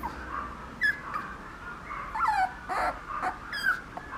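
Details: Papillon puppy: thin, high whimpers and whines that slide up and down, with a few sharp squeaks spaced about a second apart, in a quiet room.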